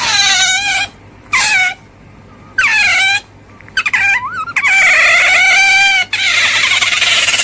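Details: Otter uttering short, sharp squeaks that rise then fall, followed by a longer whining squeal holding a high, steady pitch, with quiet pauses between calls.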